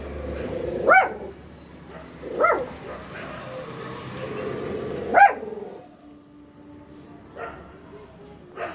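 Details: Pet dog indoors barking in response to shouting and fighting outside, with three loud barks over the first five seconds and two fainter ones later, irregularly spaced, while a person speaks and a vehicle hums faintly.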